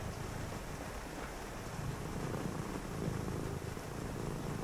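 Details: A cat on a rainy night purrs while a person reads nearby, a close, low and even rumble that strengthens slightly toward the end, with a soft wash of rain behind it.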